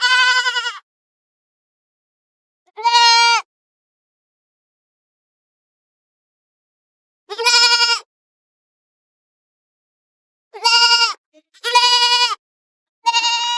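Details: Six sharp, nasal bleats from goats, each under a second, come at uneven gaps, several bunched close together near the end, with no other sound in between.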